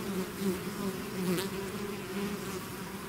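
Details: Bees swarm from their hive in a short burst of loud, steady buzzing, close wingbeats wavering slightly in pitch over a dense humming background.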